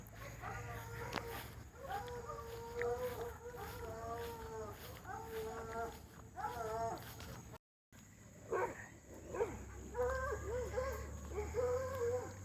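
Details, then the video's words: Hound dogs running along a fence against a dog named Lucy keep up a steady series of drawn-out howling bays, each about a second long, with a short gap midway and faint low rumble underneath. "Lucy versus hound dogs fence racing.. again.."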